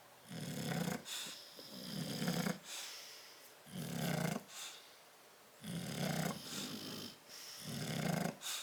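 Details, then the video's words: Bulldogs Tyson and Tyra sleeping in their crate, recorded 10/30/12: loud, regular rattling snores roughly every one and a half seconds, deep throaty rumble topped by airy hiss, brief soft breaths in the gaps. "Tyson and Tyra Bulldog sleeping and snoring in crate"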